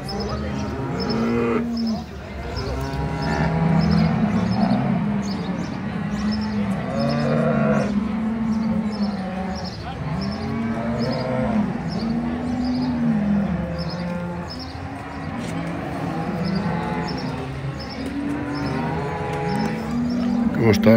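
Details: Brown Swiss cattle at the centenary cattle show of both Appenzell cantons, Switzerland, 2022: many cows mooing over one another in long, low, wavering calls, nearly continuous, with a busy crowd and indoor hall noise behind.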